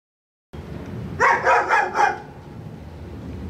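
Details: Dog next door barking: a quick burst of four sharp barks in about one second, then only low background hum.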